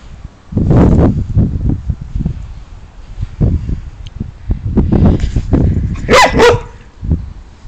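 An Alaskan Malamute makes rough, irregular grumbling barks, then a brief higher whining yodel.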